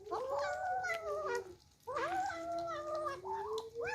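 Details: Kittens eating for the first time and squabbling over their food, giving long, loud, wavering meows, two drawn-out cries of over a second each, followed by shorter rising mews close together, indoors.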